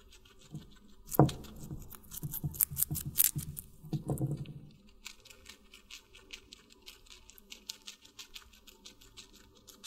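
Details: A guinea pig munching watermelon: a dense run of juicy crunches and chewing fills the first four seconds, then fades to soft faint nibbling clicks.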